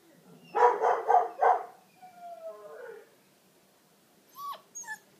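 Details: Deutsch Drahthaar from a Romanian hunting dog kennel: four quick harsh barks, then a drawn-out falling whine, and later two brief high yelps.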